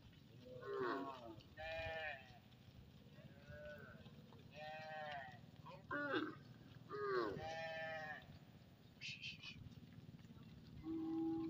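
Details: Cattle from a vast village herd returning home past the fields; repeated moaning moos from several animals, some wavering and rising, spaced a second or two apart, with a constant background rumble.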